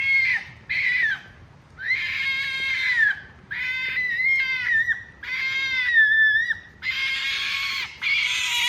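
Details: Ezo red fox mother and young at a fox farm in Kitami, Hokkaido, Japan, giving rare calls: loud, harsh, harmonic screaming bursts of about a second each, repeated in quick succession with short pauses between.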